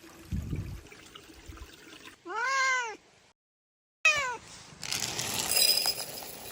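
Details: A cat gives two clear arching meows about two seconds apart, the first long and rising then falling, the second shorter and dropping, over low background noise and rustling.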